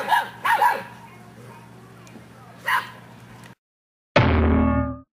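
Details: Seven-week-old English Mastiff puppies give a few short, high yipping barks, followed by a sustained tonal sound.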